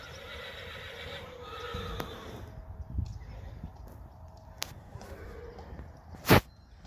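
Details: A Friesian horse neighs: a steady, ringing harmonic whinny during the first two seconds that fades out, followed by quieter background noise, soft thumps and one sharp loud knock.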